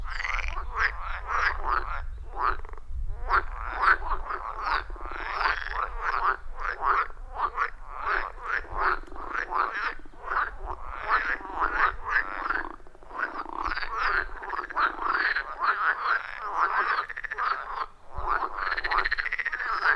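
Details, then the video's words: Wild frogs calling together at a forest pond, a loud rhythmic chorus: dense, continuous run of short raspy croaks, several per second, overlapping callers throughout with a low background rumble. "30 Minutes of Frog Sounds at a Forest Pond"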